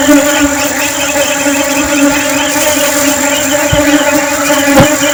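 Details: Honey bees in flight: a steady, droning hum with a low fundamental and a stack of even overtones, holding level throughout, with faint clicks and bumps underneath.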